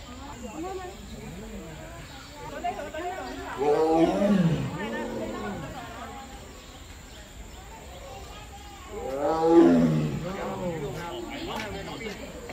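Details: A tiger at Zoo Negara, Malaysia's national zoo, gives two deep, rasping roars several seconds apart, with a man talking in the background.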